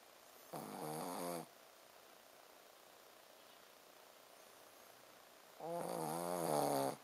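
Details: A Shih Tzu called Ponzu sleeps soundly and snores 'buu, buu': two rough buzzing snores about five seconds apart, each near a second long, with hushed breathing between them.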